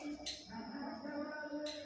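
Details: A goat on a small hobby farm, near a young Haryana-breed kid, gives a steady, drawn-out tonal bleat lasting over a second, with a low even pitch and rich harmonics, over a background hum and faint human voices.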